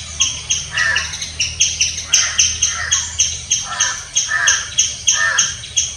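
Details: A squirrel gives loud, scratchy, brief raspy chirps in a steady, insistent series, repeated about twice a second without pause.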